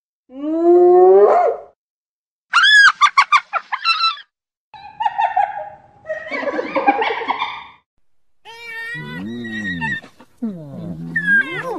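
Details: One hyena whoop sweeps upward at the start, then come quick staccato high yelps, a noisy harsh burst, and low wavering moans with a shrill rising cry at the end.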